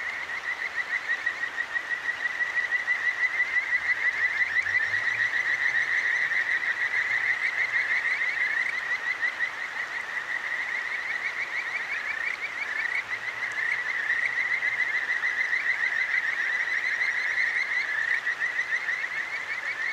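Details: Kajika frogs sing at night along a clear stream in Tokyo's Akigawa Valley, ZOOM H6 recording: many rapid high chirps blending into a steady trill, with a faint low droning tone early on and soft running water.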